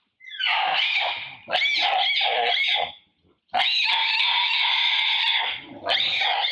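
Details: Rana, a mother monkey, screams in fear as a large male moves to take her mango. Two long, loud, harsh wailing screams with a rich, noisy, layered tone, separated by a brief silence.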